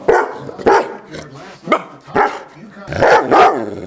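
Deep, full-throated barks from a Bernese Mountain Dog come in short bursts, some single and some doubled. The breed is a quiet one that seldom barks, and rarely without a serious reason.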